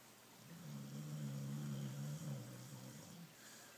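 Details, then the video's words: Pablo, a rescued dog about 12 years old, possibly a Border Collie cross, taken from a regional RSPCA pound in 2010, snoring: one long, low, rumbling drawn-out breath lasting about two seconds, rising gently, then fading. "Pablo the dog snoring"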